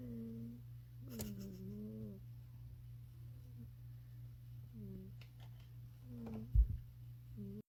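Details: Contented sleeping kitty making small snores: short, humming, squeaky tones at irregular gaps, one longer wavering note, a single knock near the end, and a constant low hum in a quiet room.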